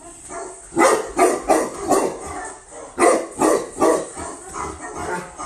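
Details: Barking from a female Tibetan Mastiff recently imported from Russia: two series of four to five rhythmic, loud barks separated by a brief pause, with a person nearby speaking calmly.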